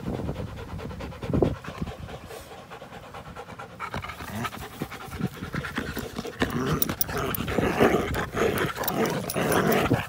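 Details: An American Pit Bull Terrier and a Belgian Malinois cross at play, April 21, 2019; quick, hissing pants grow louder and denser toward the end, mixed with scuffling noise.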